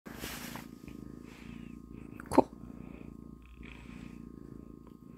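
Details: Persian kitten, a young male, newly joined a household with other pets; low steady purring runs through most of the clip, broken by one brief louder noise near the middle, with faint background sounds.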